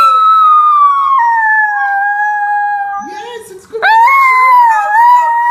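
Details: Indoors on the Gold Coast, Australia, a Chinese Crested Powderpuff howls in the morning: a long gently falling sustained note, a brief lower mumbling break, then a jump to a higher steady howl with slight wavering.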